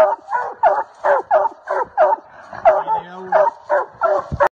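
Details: A Treeing Walker Coonhound barks treed in a fast, steady string of loud, chopping barks during a South Carolina coon hunt.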